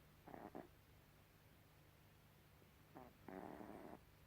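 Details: Gribouille the cat snores twice in a short stretch, a quick rasping double breath followed by a longer, fuller snore, with a low steady hum in the room.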